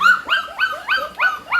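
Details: Hungry Pit Bull puppy, one of mother Namtan's litter of just over a month old, waiting for food: a clear series of five rising, whistled whines, one roughly every quarter second, each sweeping upward then leveling off.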